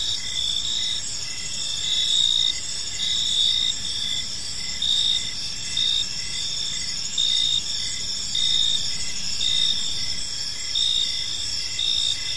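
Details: Evening park ambience of chirping crickets, bursts of high, clear pulsed chirps arriving about every one to one and a half seconds above a steady shrill trill from other insects, low distant rumble underneath.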